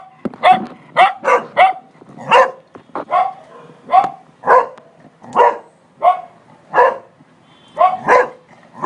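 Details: A Cocker Spaniel barks at a man seen on a terrace, steady sharp mid-pitched woofs coming about twice a second.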